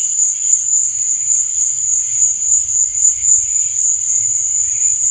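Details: Crickets at night: a dense, steady, high-pitched trill runs unbroken through the whole stretch, finely pulsed, with soft lower shimmering chirps wavering beneath it and no other clear sounds.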